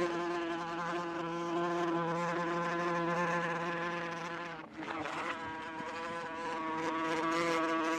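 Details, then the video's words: Flying wasp giving a continuous humming buzz with many overtones. It dips briefly near the middle, as if passing or turning, then resumes at a steady pitch. "SONIDO DE AVISPA"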